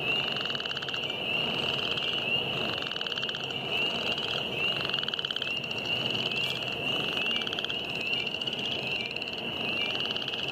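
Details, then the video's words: Northern chorus frogs and spring peepers calling in spring at The Wetlands, James River Parks, Richmond, Virginia, on March 9, 2014: a dense, steady chorus with a continuous high peeping band and rising, raspy pulsed trills repeating throughout. "Spring frogs"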